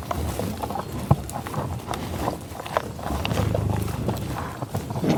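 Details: Bison on tallgrass prairie near Pawhuska, Oklahoma, USA, recorded in the field with a Schoeps microphone and Sound Devices 788T: low, rough grunts and breathy sniffs with scattered soft knocks, brief louder snort near one second, outdoor rural background.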